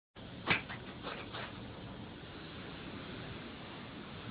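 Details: A cat sneezing indoors: one sharp, explosive burst, followed by two softer puffs about half a second apart, then steady low room hiss.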